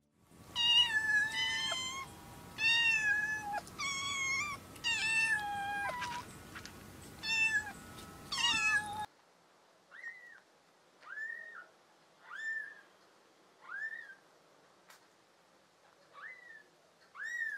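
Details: Cat (Felis catus) kittens meowing in high-pitched, pleading mews repeated every second or two, one louder and harmonic-rich, one softer; kittens meow from their first weeks of life for almost any reason.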